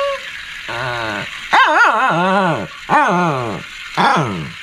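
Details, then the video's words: Shih Tzu barking and growling: a drawn-out groaning call followed by three wavering, rising-and-falling barks, each under a second long and harmonic, with a faint steady high hum behind. "Shih Tzu Barking And Growling"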